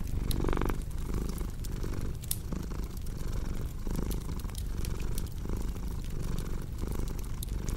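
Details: Purring cat, deep rumbling hum in rhythmic breath cycles, with a brief louder tonal burst near the start, set against the popping and crackling of a fire.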